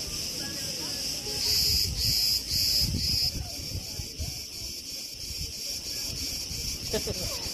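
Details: Crickets chirp in a steady, high, shimmering trill over a low rush of wind in tree branches at Preveli Beach, Crete, in August 2020.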